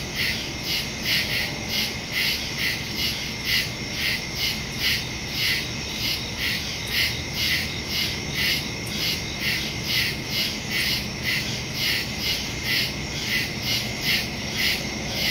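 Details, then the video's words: Night chorus of crickets in woodland, captured September 2, 2023, with a Samsung Galaxy S22 Ultra and Shure MV88+ stereo mic; shrill chirps pulse about twice per second in an unbroken rhythm above a soft, constant background drone. "Crickets in the woods at night"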